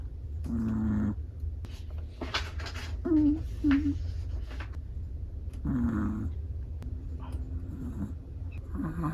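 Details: A relaxed, sleeping black-and-tan Chihuahua gives a run of snores: raspy breaths mixed with small whistling squeaks, coming roughly every second or two, over a low continuous hum.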